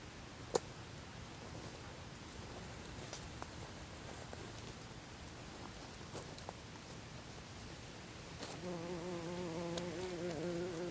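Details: Buff-tailed bumblebee after the dance at a nest in Olariaga, Zamudio, Txorierri, Bizkaia, 24 April 2021; rustling and scattered clicks give way to a clear, low, droning buzz in the final seconds.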